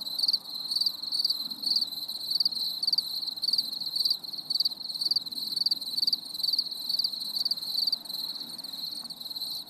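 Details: Crickets calling on a stormy summer evening, sharp high chirps repeated roughly twice a second in an even rhythm above a continuous thin trill, with a faint low rumble beneath.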